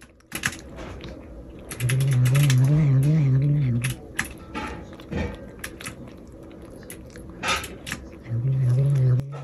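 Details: While eating, the former stray cat Bori gives strange, angry-sounding noises: a low quavering growl for about two seconds, then chewing sounds, then another short growl near the end, with a person talking softly.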